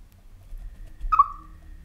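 A Siberian chipmunk gives a single short, clear chirp that slides slightly downward.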